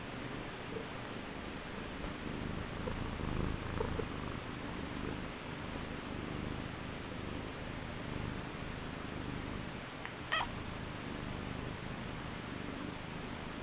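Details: Continuous low purring from the male house cat Niku, a soft even rumble with a gentle swell in the middle and a brief rustling tick near the end.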